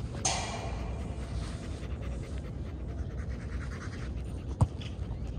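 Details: A ten-month-old German Shepherd dog panting: soft, breathy, rapid bursts of rough exhalation, faint under a steady low rumble, with a sharp noisy burst at the start and a brief click near the end.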